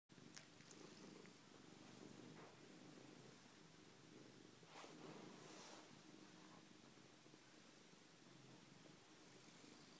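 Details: Domestic cat Kenwai purring during a homecoming ritual at home, pressing and rubbing its head hard; a steady low rumbling purr runs throughout, broken by brief soft rustling bursts from the rubbing.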